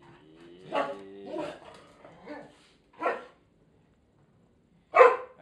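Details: Irish Setter dog with a second dog, doing their habitual dance before being fed; a few drawn-out harmonic whines and yelps over five seconds, a sharp bark near the end, a woman calling the dogs nearby.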